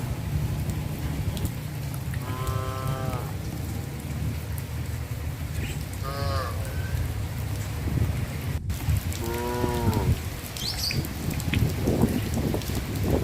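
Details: Cows wandering through residential areas of a village with a traditional farm at rice planting season, giving three harmonic, drawn-out moos about three seconds apart, each lasting around a second, over a constant rain-like hiss and low rumble.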